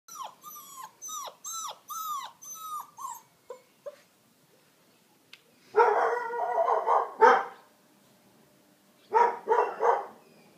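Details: Deutsch Drahthaar from a hunting dog kennel in Romania: a run of high, bending whines repeated about every half second, then short harsh barks in two clusters after a pause.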